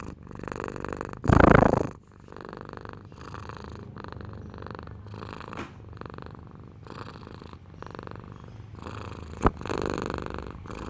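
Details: Cat purr made of repeated breath-cycle phrases of soft low rumbling, about four pulses per second, with one loud rustling burst early and a sharp tap near the end.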